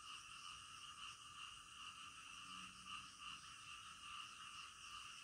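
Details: Frogs croak in the middle of the night: a thick, steady chorus of fast pulsing notes, with a low droning tone rising briefly underneath midway through.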